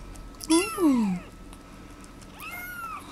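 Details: Bengal kittens, a golden spotted male and a brown rosetted female, indoors. One loud meow falls sharply in pitch, followed about a second later by a softer, shorter meow that rises and falls.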